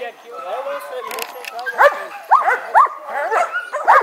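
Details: A Dobermann gives short, sharp yelping barks, each rising and falling, about five packed into the last two seconds. A person talks first.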